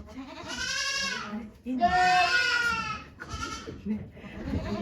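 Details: At the birth of Okayu's two kids at Yoshigake goat farm, Japan, 3 May 2023, three loud, quavering bleats follow one another closely, the middle one longest, with quiet human voices underneath.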